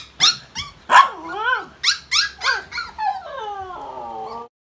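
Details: A family's pet Siberian husky vocalizing in a howling 'concert': a string of short rising-and-falling woo-like yowls, about one every half second, ending in a longer drawn-out howl that slides downward and stops abruptly.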